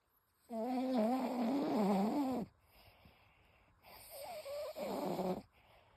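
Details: Toy Poodle named Ichigo snoring indoors: a long, loud, wavering nasal snore with a rumbling harmonic tone for about two seconds, a pause, then a shorter second snore rising and falling, all in a quiet room.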